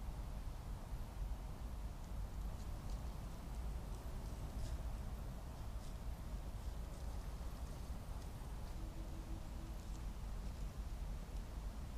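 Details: Steady low rumble with soft rain-like patter from a trail camera at a red deer rut site, with no clear animal call.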